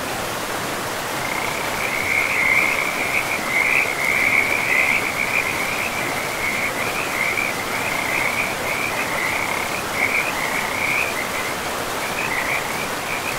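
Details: Frogs by a river deep in a pristine forest, a dense run of high, rapid trilling croaks starting after a second and continuing almost without pause, set against a steady hiss of flowing water.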